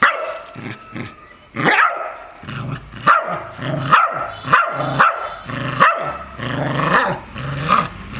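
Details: Loud dog barking with growling: a run of about eight rough, punchy barks, roughly every half second to second, over a rumbling growl that fills the gaps.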